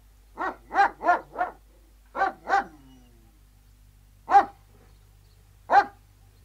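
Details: Outdoor recording of three Alsatian guard dogs: four rapid barks in a row, a pair of barks, a short whine, then two lone barks spaced over a second apart.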